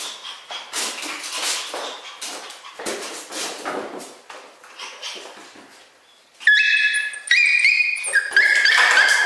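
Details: Miniature schnauzer puppies, two brothers born on 10 October, indoors: soft scattered whimpers, then a loud run of high, steady whines with stacked overtones, rising and breaking off in short repeated pieces.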